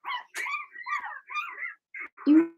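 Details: Young Cavalier King Charles Spaniel puppies from a Blenheim litter of six, two females and four males, born in March, in their puppy pen: a run of high, whiny yips and yelps, ending on a short, steady squeal.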